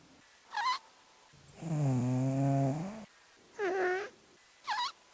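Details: Sped-up snoring of a sleeping cat, five times faster and fart-like: a brief squeak, then a long, low, rasping buzz with rich harmonics, another falling squeal and a final short chirp.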